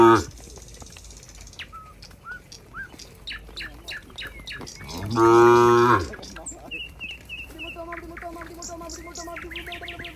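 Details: Cows heading together to their pen on a farm: steady bird chirps fill the first seconds, then a loud, even moo of nearly a second. Faint lowing and more bird calls follow.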